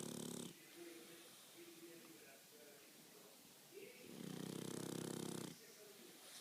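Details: Pug dog snoring in its sleep at home: a short rattling snore at the start, a quiet stretch with a person speaking softly, then a longer, louder buzzing snore lasting over a second.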